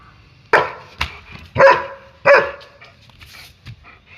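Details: Playing German Shepherd gives four sharp barks in quick succession, roughly half a second apart, each abrupt and raspy with a slight tonal ring, then softer huffs and light rustling.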